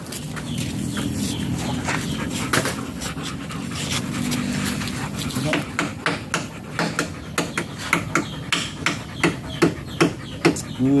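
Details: German Shepherd during a stud session at Nalsian, Manaoag, Pangasinan: voices and low rumble fill the first half, then quick rhythmic panting bursts take over, roughly two and a half breaths per second.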